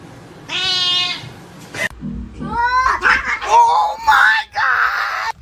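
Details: Kitten giving a steady, slightly nasal meow, then a series of short rising-and-falling mews, with people talking and laughing close by.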